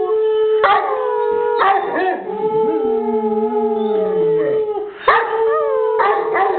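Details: Bruiser the English Mastiff howls in a sustained tone, with a lower wavering voice dipping and sliding underneath midway, and sharp rising yelps breaking in near the start and end.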